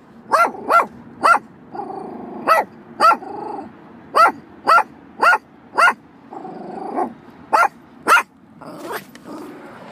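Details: Sheepadoodle barking rapidly in quick pairs and short bursts, with rumbling growls filling the gaps between barks.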